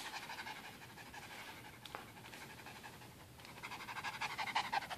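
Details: Quick, rhythmic panting from AJ, a dog who loves his towel, following a tug-of-war game. The airy huffs repeat about three times a second and build louder toward the end, with one brief click in the middle.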